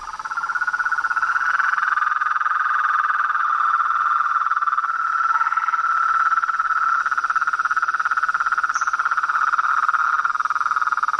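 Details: Frogs, toads and treefrogs calling in nature: a dense, unbroken chorus of rapid pulsed trills at a steady mid pitch, holding even loudness throughout, with a faint higher-pitched band above.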